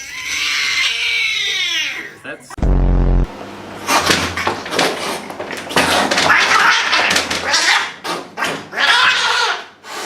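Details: Cat at the vet giving a drawn-out, wavering meow with rising and falling pitch for about two seconds, then a brief loud buzz followed by people talking and clattering in a small room.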